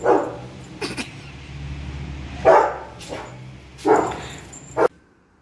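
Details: Efe, a pet Rottweiler, plays with an elderly family member while eating a bone during a small training session; three deep, gruff barks come about every one and a half seconds, with a man's voice and thumping between them.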